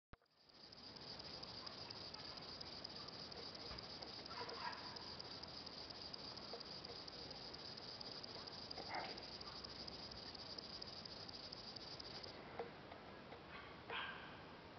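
A grasshopper stridulates with a steady, high, hissing buzz that stops abruptly near the end.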